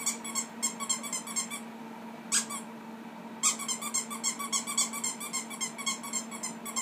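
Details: Ferrets at play with a child inside a small room give quick runs of high, bright squeaks, broken by a pause near the middle and a couple of sharp isolated notes, then an unbroken rapid chatter resumes over a faint constant hum.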